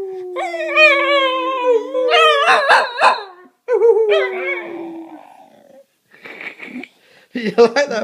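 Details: Cocker spaniels singing: long, drawn-out howls that slide slowly downward with rich overtones, overlapping wavering yips and whines, broken by short pauses, with a person's voice briefly speaking near the end.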